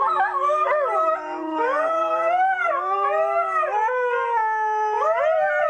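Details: Two Siberian Huskies howling together, egging each other on; long, sustained howls that bend and waver, one voice rising and falling above the other in overlapping harmonic tones with no pauses.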